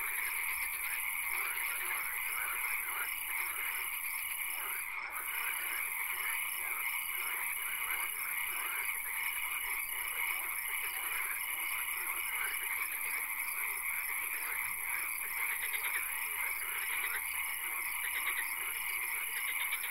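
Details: Chorus of frogs in a swamp at night with occasional rain: dense, buzzy pulsed croaking, a regular dashed note repeating through the first two thirds, a steady shrill hiss, and a sharp click at five seconds.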